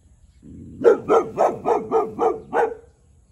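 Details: One-year-old Boxer dog named Tyrion barking territorially at a neighbouring cow: a rapid run of seven sharp barks, about four per second, after a short low growl-like lead-in.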